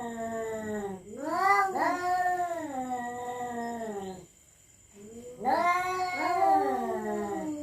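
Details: Cats at night in a territorial standoff, threatening one another with drawn-out, quavering moans that swoop upward and slowly sag, broken by one short silence before the howling resumes.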